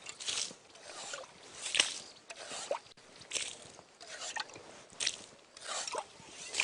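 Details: Crunching, wet chewing and tearing noises come in irregular bursts, with no clear animal voice.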